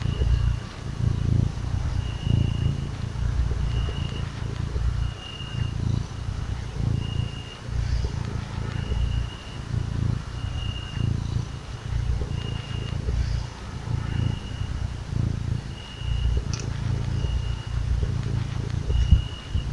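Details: Sweet little kitten purring while being cuddled and stroked; a deep, low rumbling purr swells and fades in steady waves about once per second, with a faint high, steady tone coming and going in the background.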